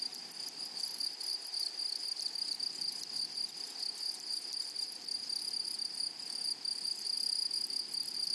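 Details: Meadow grasshoppers in a flowery prairie chorus: a continuous shrill, high-pitched whine with rapid pulsed buzzing stridulation above it, bursts repeating steadily over eight seconds, no other clear sounds.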